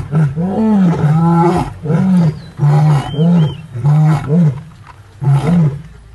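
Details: Several lions of a six-male coalition with the Paradise pride roar together in overlapping deep, moaning bursts while on a hippo meal, after dominant aggression, Paradise plains, Maasai Mara, March 2023.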